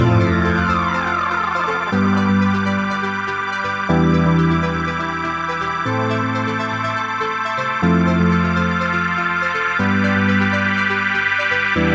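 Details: Electronic synthesizer music with sustained keyboard chords that change every two seconds plays continuously.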